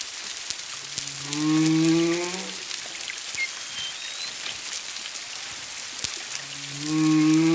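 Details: Humpback whales off Culebra, Puerto Rico, February 25, 2022, one to two miles away, at least two animals: a rising harmonic moan, a faint high whistle in between, then another moan starting, all over constant crackling underwater hiss.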